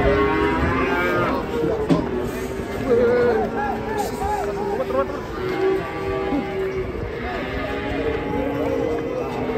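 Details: Fat cattle (sapi lemu) call in a crowded setting: brief wavering moos rise and fall among overlapping voices and a constant low rumble.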